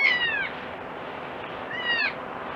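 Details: Crying young goat giving two thin, high bleats with strong harmonics, each falling in pitch over roughly half a second, separated by a pause, with a continuous noisy rush behind.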